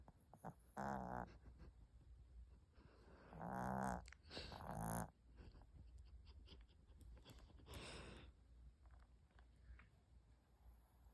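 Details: Dog asleep and snoring indoors, with several coarse, buzzy breaths spaced irregularly, the louder ones near the start and middle, then fainter snuffles over a quiet background.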